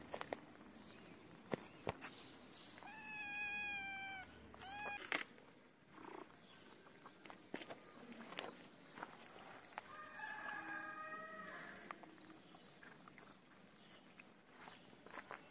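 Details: Hungry feral kitten, with its mother close by, cries for food in a long wavering meow, then a short clipped one, and later a softer, breathier call; scattered clicks and scuffing sounds throughout.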